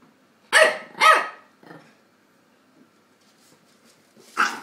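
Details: Chihuahua Tony, two years old, plays with an eight-week-old English Staffordshire pup named Dexter; two quick loud yaps back to back, a softer yip, a long quiet gap, then one more loud bark.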